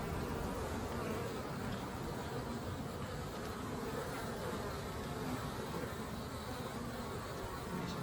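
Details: Honey bees returning to their beehive with pollen on their legs; a steady, dense, low buzzing hum of many bees, unbroken from start to finish with no pauses and no other clear sounds.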